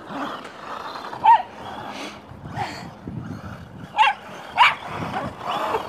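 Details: Welsh Terrier frantically chasing a remote control car, giving a few sharp high yips spaced over several seconds amid a low continuous background hum.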